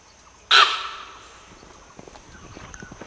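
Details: In an Assam, India forest, a sambar deer gives a single sharp, loud honking bark of alarm and runs off as a deer herd flees, warning that a tiger was nearby.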